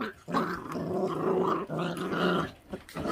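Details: Growling from a feral dog puppy over food, from a litter left uncared for by the mother; sustained rough growl over about two seconds, with breaks and a short snarl at the end.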